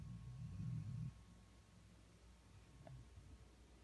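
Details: A 1-year-old female Vizsla, asleep on a lap, gives a deep, rough snore, a low rumble swelling for about a second then fading; then only faint soft breathing and a small click.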